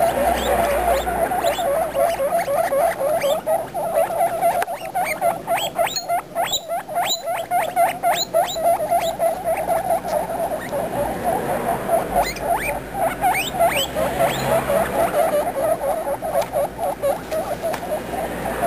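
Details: Several baby guinea pigs calling together: a steady stream of short, chirpy squeaks and quick rising and falling notes, about four per second, with a continuous mid-pitched chattering underneath and no other sounds.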